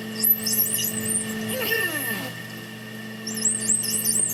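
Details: Bottlenose dolphins, two pairs of males competing, producing coordinated, synchronized sounds: squeaky high-pitched whistles that flicker up and down, a descending sweep midway, more whistling near the end, over a steady electrical hum.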